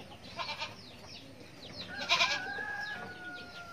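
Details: Kid goat letting out a short, bright, shaky bleat midway, with a long thin whistled tone drawing out after it and small birds twittering throughout.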